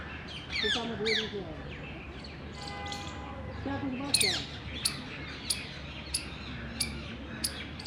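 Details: An Indian palm squirrel in the wild, during mating, gives sharp, high chirps repeated roughly every two-thirds of a second, with human voices earlier; recorded 19 February 2021.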